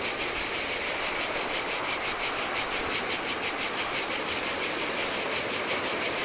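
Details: Singing cicadas at a desolate Greek island beach on the Adriatic in the heat; an intense metallic drone beating around three pulses per second, layered over quiet splashing surf.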